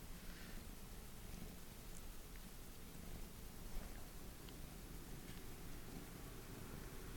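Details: Pet cat Non-chan, who loves being held, wanting to be picked up indoors: a soft, low, steady rumbling purr with faint pulsing throughout, under quiet room hiss and a few small rustles.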